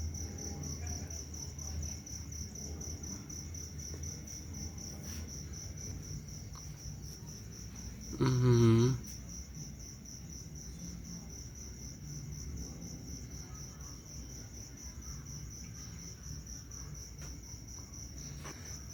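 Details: Crickets hold a steady, high, ringing trill at night outside a house in Thailand, with a brief voice partway through, heard alongside toads and narrow-mouthed frogs, taken as a sign of humid air and coming rain; cricket.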